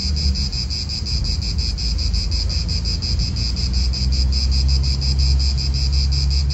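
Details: Cicadas in an Italian park, an unbroken shrill buzzing chorus pulsing rapidly and evenly, with layered high bands over a heavy low rumble of wind.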